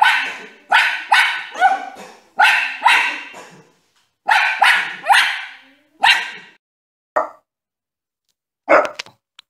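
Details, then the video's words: Dog from a funny dogs-and-puppies compilation barks loudly and repeatedly, bursts coming in quick pairs and triplets roughly every half second, then a few isolated barks trail off with gaps of silence. "Dog Barking - Funny Dogs Barking And Puppies Barking"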